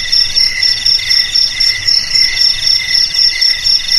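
A cricket's high, pulsing chirps repeat steadily, about four bursts every second.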